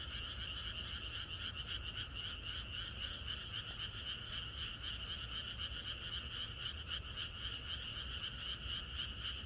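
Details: A rural night chorus of frogs on the eve of rain: countless croaks overlap into a steady, fast, rhythmic trill, two bright tones holding throughout over a faint low hum.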